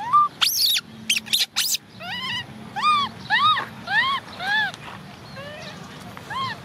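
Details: A female baby orphan macaque crying because she wants to ride a bike: a few sharp squeals open, then about ten arched, whistled wails, each rising and falling, repeated roughly every half second, with a person speaking Vietnamese nearby.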